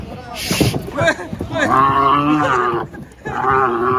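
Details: Angry cow coming down from a truck, giving a loud, drawn-out moo with a harmonic, wavering tone, mixed with short bursts of men's speech nearby.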